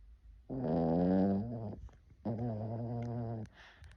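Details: A domestic dog snoring. There are two long, droning breaths of about a second each, with a low buzzy tone. A short quiet gap separates them.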